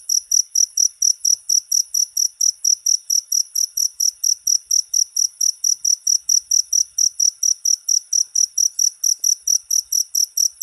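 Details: Rat-repelling cricket sound: insistent, high, ringing chirps repeating about four times a second for the whole stretch, very regular, with a clean quiet background.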